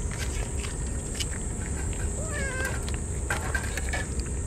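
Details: Ear-tipped stray cat being fed on a scorching hot day, crying out while rubbing against other cats in joy; a single short, wavering meow rises and falls midway, over steady low outdoor rumble and a constant high whine.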